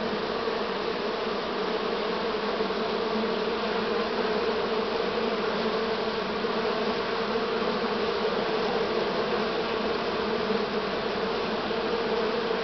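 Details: Honey bees of this year's swarm, recorded 6 September 2019 at a beekeeping site; a dense, unbroken hum with a steady low drone and a brighter buzzy overtone, holding level for the whole stretch.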